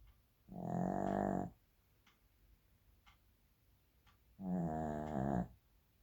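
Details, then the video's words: Sleeping Shih Tzu giving two loud, rattling snores about four seconds apart, each a steady buzzy rasp near one second long, with faint ticking sounds between them. "Shih tzu snoring"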